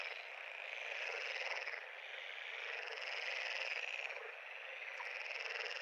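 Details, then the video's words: Frog pond chorus: a dense, continuous wall of buzzy, trilling calls from many frogs overlapping without pause, swelling and fading slightly in loudness, with no other clear sounds. "Frog pond- Sound Effect (HD)"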